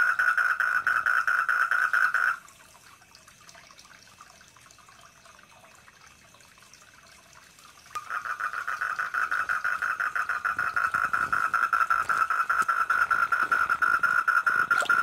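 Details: Four-lined tree frog, a wild visitor to a garden koi pond, calling at night: a fast pulsed buzzing trill that stops for several seconds amid quiet water sounds, then resumes and continues strongly.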